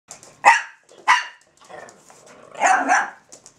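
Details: A Russian Toy named Zora and a Belgian Malinois named Bazooka in a barking exchange indoors: sharp single barks at about half a second and one second, then a longer two-part bark-growl near the end.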